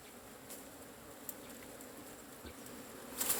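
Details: Droning hum of Asian honey bees as their cavity hive is being taken, an even low buzz with a few faint taps and a burst of rustling at the close.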